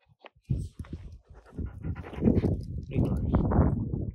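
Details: Three wolfdogs and a husky interact while the husky guards a cached piece of meat; low rumbling growls and grumbles with snorts and panting, rising in intensity toward the end, with brief higher whines.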